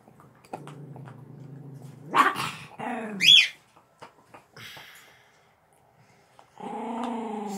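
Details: Staffordshire bull terrier and whippet sharing a bed while chewing sterilized bones indoors; a low drawn-out growl breaks into two sharp, higher yelping barks, followed by quiet rustling and another deep resonant growl.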